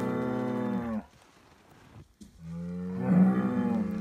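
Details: Scottish Highland cattle bull in Finland, receiving bread, ends one deep moo, falls silent for about a second, then begins another loud steady moo that swells in the final second.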